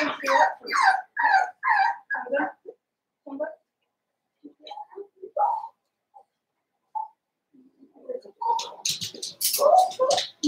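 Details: Blenheim Cavalier King Charles Spaniel puppies, seven weeks old, from a litter of five born at New Year, in an indoor home puppy pen: a run of whiny, harmonic yelps, then scattered soft whimpers and a final burst of higher yaps.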